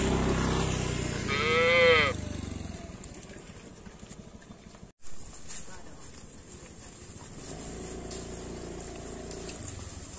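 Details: Village cattle being herded, roaming the fields and drinking at a lake. A single brief, mid-pitched moo rises early, then fades into hissing outdoor noise with a short dropout and distant low rumbling.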